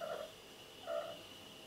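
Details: Mr. Cat, a pet cat talking back while someone speaks to him indoors, gives two short, soft, mid-pitched murmured calls about a second apart, with a steady faint hum behind.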